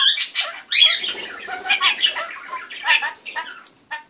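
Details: Kakariki parrot kept as a pet making odd, funny noises: dense rapid run of squeaks, chirps and nasal chattering notes, loudest early on, fading toward the end before a final short call.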